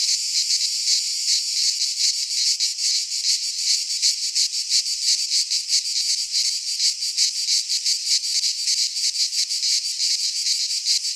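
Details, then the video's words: Cicadas of the Greek fauna singing in a pine forest in midsummer: an intense, sizzling high drone, rhythmically pulsing about three times a second, continuous and unvarying, no birds or voices. "Cicadas singing in midsummer"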